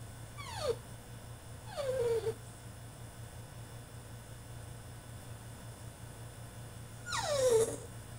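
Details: French Bulldog throwing a tantrum in his cage: three high descending whines, each sliding down sharply and then trailing off, spaced several seconds apart over a steady low hum in a room.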